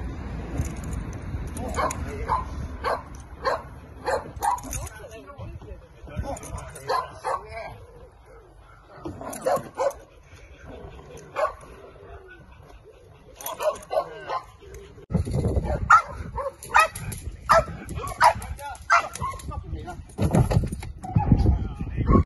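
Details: Belgian Malinois in decoy training, running through a car, gives sharp barks in repeated bursts, a pause midway, then a fast run of barking toward the end, over low rumbling background noise and some human speech.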